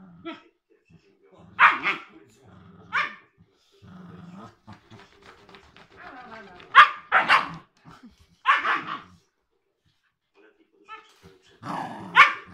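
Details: Siberian Husky puppy, three months old, and an eight-year-old Cairn Terrier playing: scattered sharp barks at uneven intervals, with low growly rumbles between them and human voices in the background.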